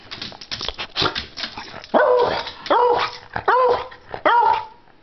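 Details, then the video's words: A dog barking for a treat: scrappy, overlapping yaps in the first two seconds, then four loud, full barks spaced under a second apart, each rising sharply and then holding steady. "Non-Stop Barking !"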